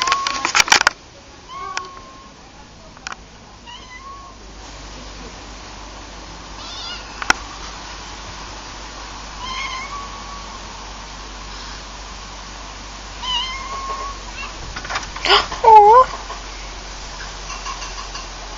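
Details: Cats making short, repeated mews spaced a few seconds apart, then a louder, higher rising-and-falling cry near the end, over a low steady hum and occasional knocks.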